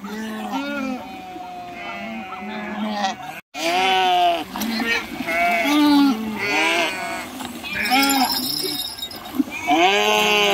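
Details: Flock of sheep crossing a river, jumping in and swimming, giving loud quavering bleats one after another with short gaps, a brief silence near the start, and a clanking cowbell-like sound in the background.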